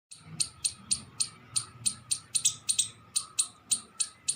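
A squirrel gives sharp, high chips repeated steadily, about three or four each second.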